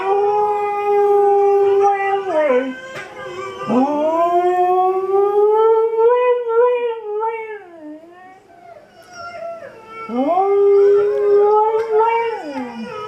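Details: Female Siberian Husky howling indoors in response to dog videos on screen: long, smooth tonal howls that rise, hold and slide downward, about three drawn-out phrases with short breaks between them.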